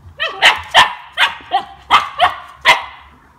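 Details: Siberian Husky puppy, two months old, tasting lemon for the first time, gives a run of about seven quick, high, harmonic yips in steady succession, fading slightly toward the close.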